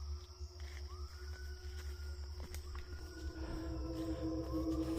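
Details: A distant siamang in Sumatran tropical forest near a small stream gives loud, echoing, rising whooping notes, each sliding upward, repeated every second or two, over a steady insect drone and low forest rumble.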